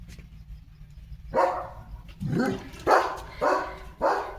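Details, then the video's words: Pet German Shepherd Leo barking on a day of command practice and car jumps: after a quiet start, four loud barks spaced roughly half to one second apart, each sharp at onset and fading. "Leo The German Shepherd चा आजचा दिवस | Commands, Bark & Car Jump Fun Vlog"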